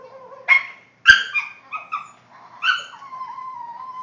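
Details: Pet Boston Terrier making funny noises indoors: high tonal whines sliding around, broken by short sharp yips and a brief bark-like burst, ending in a long steady whine.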